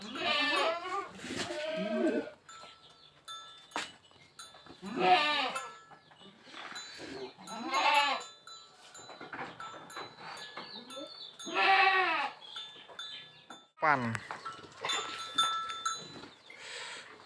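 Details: Boer stud buck and Jamunapari doe brought together for crossbreeding; repeated strong, tremulous bleats about every two to three seconds, some wavering downward, over soft background music and clicks.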